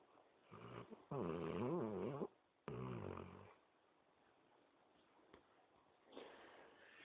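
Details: Basset Hound asleep and snoring: two loud, rasping, throaty snores about a second long each, wavering in pitch, followed by quieter breathing and a faint final snore, recorded close in a quiet room.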